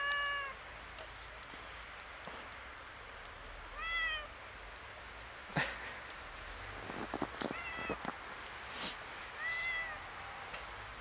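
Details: Kitten out in snow for its first time, a little scared, meowing repeatedly in clear, bending, high-pitched calls every few seconds; crunchy footsteps and rustling clicks fill the middle stretch.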